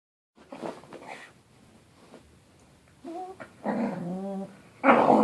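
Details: Puppy named Toby having a temper tantrum indoors: low rumbling growls with harmonic, whining yelps and a loud final outburst, separated by short quiet gaps.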